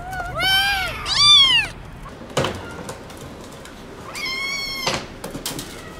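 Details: Young motherless kittens crying in fear of a vet visit give loud, high, bending meows, two close together at the start, then a quiet pause and another strong cry, with light handling noises between.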